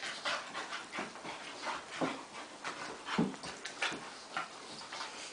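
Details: Playing retrievers Daisy (Golden Retriever) and Shelby (Flat-Coated Retriever) give quick breathy panting in uneven bursts, about one each second, with occasional throaty huffs.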